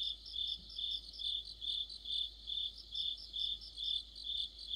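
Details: Crickets and other insects in an autumn chorus near a streetlight, Korea; rhythmic high-pitched chirps pulsing about twice per second in a steady, overlapping night orchestra.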